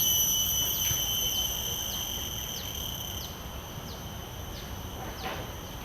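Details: Field recording of a common cicada made with shotgun microphones and a Zoom F3 recorder: a piercing steady whine with regular short downward sweeps about every half second, gradually fading slightly in loudness.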